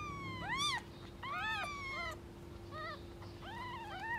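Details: Angry mother cat protecting her kittens among strays on the street; four clear, sharply arched meows, the first two loud and rising steeply, the later ones shorter and softer, over a low steady hum.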